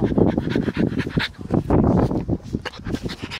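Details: French Bulldog panting indoors: rapid, raspy breaths in quick irregular bursts, snuffly and noisy throughout, with no other clear sounds.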